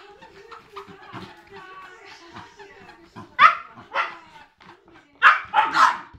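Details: Three-month-old Siberian Husky puppy and eight-year-old Cairn Terrier at play. Low murmuring and small whines build into sudden loud barks, one pair and then a rapid run of three near the end, in a small room.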